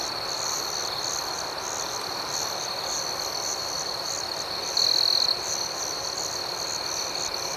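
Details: An unbroken, high insect drone of crickets at night, overlaid with faint rhythmic pulsing. One louder trill from a nearer cricket stands out for about half a second partway through.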